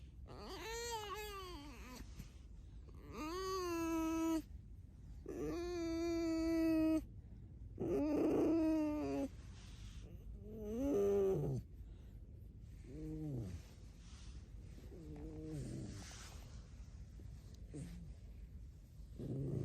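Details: Pet fox Alice squeaks and whines again and again indoors. Loud, long, wavering harmonic cries come first, then shorter, softer, bending squeaks that trail off toward the end.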